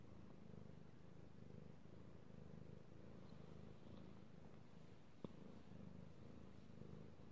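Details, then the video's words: Domestic cat, a male, purring while being petted, recorded 16 March 2018: a steady low rumbling purr with faint pulsing bands, broken by one sharp brief click near the five-second mark. "Petting Io the Kitty Cat / ASMR Cat Purring"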